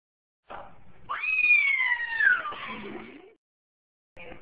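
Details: Pet cat that does not know how to meow and fears dogs gives one drawn-out, strained, whistly yowl that rises sharply, then slides slowly downward over about two seconds, with faint scuffs before and after.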